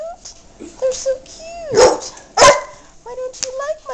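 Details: Pet dog Yogi attacking and biting a pair of pink shoes, letting out two loud, harsh barks about half a second apart. A woman's playful voice talks over him, asking why he dislikes the shoes.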